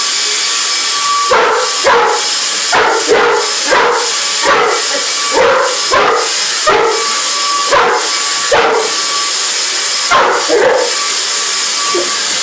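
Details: English Mastiff barking at a running vacuum cleaner indoors, short loud barks in pairs and clusters repeated through the clip over the steady roaring hiss of the vacuum motor.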